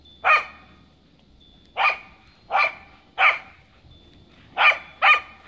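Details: Sharp, bright barks from Kaya, a Cardigan Welsh Corgi zooming around playfully in the snow. Six barks are spaced unevenly, with the last pair close together, against a quiet outdoor background.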